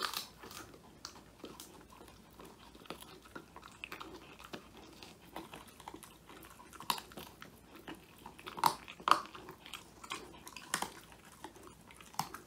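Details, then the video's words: Indoors, Woody the Old English Sheepdog, a male born in 2019, grinds through a whole quail as his first treat; steady soft mastication with scattered louder crunching snaps and a few sharp cracks near the middle, phone-recorded. "통 메추리 오독오독 수제간식 먹방"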